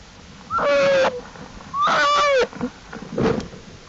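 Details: Outside the den on April 2, 2012, Jewel's black bear cubs call while exploring with their mother: two sustained whining cries with slight pitch dips, then a shorter, rougher call.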